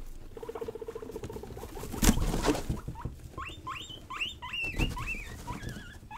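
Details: Playful young pet guinea pigs, Rosie and Buddy, running wild: a brief buzzy run of low chutting pulses, a sharp knock, then a series of loud, rising squeaky whistles, about two per second, over soft scuffling.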